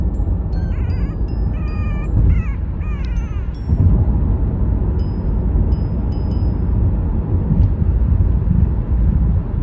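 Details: Newly adopted Chihuahua puppy whining to be held during the car ride home on its first day; quick series of quavering, squeaky whines early on, then only car rumble and light chiming music.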